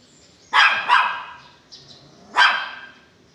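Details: Belgian Malinois delivering a quick double bark, then a third loud, harsh bark after a short pause, against a quiet background.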